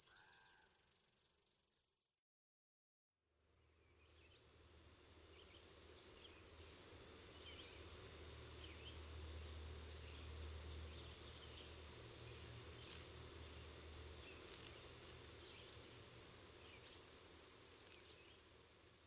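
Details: Summer cicada mating call from Nova Scotia, a shrill continuous high-pitched drone that cuts out briefly, returns and runs on evenly, with faint low rumble and scattered soft background ticks beneath.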